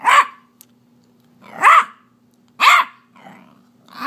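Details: A Beagle puppy, a female 8 weeks old, gives high, arching barks about once a second, upset because her toy is being withheld.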